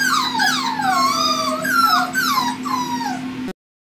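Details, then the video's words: Five-week-old male Pomsky puppies from Winter and Dash's litter give overlapping high, sliding whines and yips that fall in pitch, several short cries in quick succession over a constant low electrical hum, ending abruptly. "Pomsky Puppies! 5 wks old."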